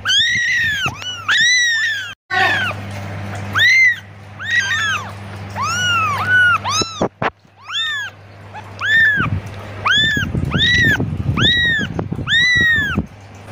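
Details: Kitten's repeated calls to its mother: a long string of short, arched, high meows, fairly evenly spaced, with a steady low hum early on and rumbling handling noise near the end.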